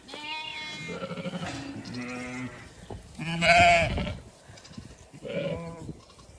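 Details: Flock of Zwartbles sheep in Kilkenny, Ireland, heading out for cool late afternoon grazing; a few low, quavering bleats rise and fall, one louder and longer in the middle, with quieter background murmur.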